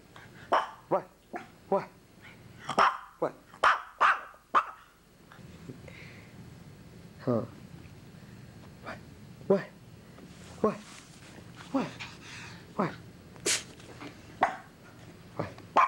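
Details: Dog named Sugar answering a person's teasing talk with short sharp barks, then rising, whiny yelps and odd squealing vocal noises, mixed with human speech throughout.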